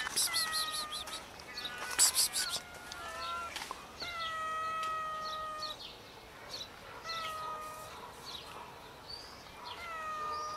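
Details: Four scared homeless cats gathering for food after being found nearby: a series of long, steady, tonal meows, some drawn out over a second and a half, with bright bird chirps early on and faint outdoor background.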